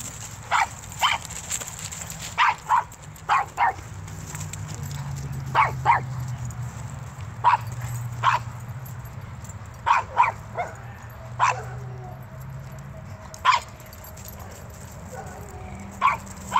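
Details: Adult Irish Wolfhound playing with a year-old pit bull and shepherd mix: short, sharp barks come in uneven bursts, around seventeen over sixteen seconds, sometimes in quick pairs, above a low steady rumble.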